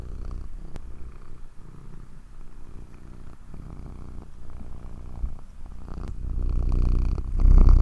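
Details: Domestic cat purring softly indoors, a steady low rumble with faint rhythmic pulses that swells louder over the last second or so.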